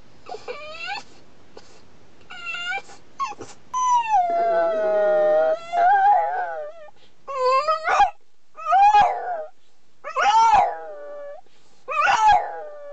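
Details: A French Bulldog howls in a strained, torturous voice: wavering tonal cries with rich harmonics, some long and sliding downward, broken by short yips and whimpers, with silence between outbursts.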